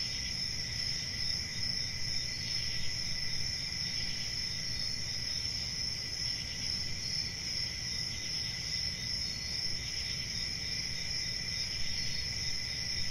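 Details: A continuous cricket chorus: a shrill, high-pitched trill holds steady with a weaker mid-pitched band beneath, and low background rumble persists for the whole stretch.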